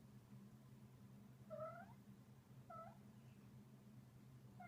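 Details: Male Munchkin cat trilling while playing, a sound he makes all day long: two soft, short chirrups with a rising-then-falling lilt, about a second apart, over a steady low indoor hum.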